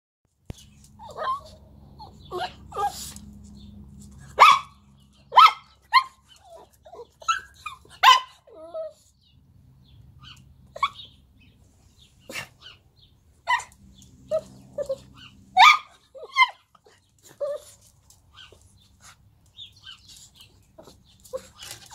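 A dog barks in short, sharp bursts, irregularly spaced, with a low hum underneath.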